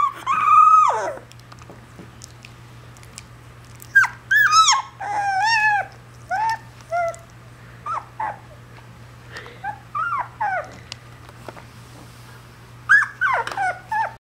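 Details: A female Alaskan Malamute puppy howls in short, wavering, yodel-like bursts that rise and fall in pitch.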